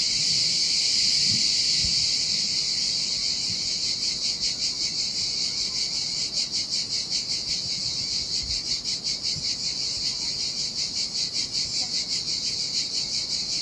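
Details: Cicadas singing in the heat on a desolate Sardinian beach by turquoise water: loud, shrill electric buzz, smooth at first, then breaking into clear rapid pulses about 2.6 per second, with low splashing surf.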